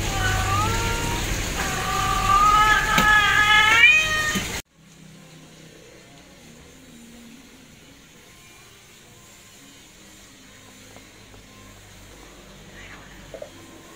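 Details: Kittens meowing in a quick run of wavering cries during the first few seconds, then near silence with only faint low noise.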